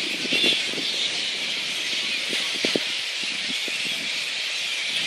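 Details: Megabats (flying-foxes) at Boonah, Queensland, Australia, recorded 2 January 2014: short, shrill squabbling squeals and chattering bursts over a constant loud high hiss.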